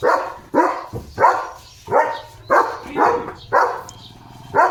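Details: Morning barking from Leo, a German Shepherd, at cattle passing in front of the gate; loud single barks spaced about every half second to second, evenly repeated.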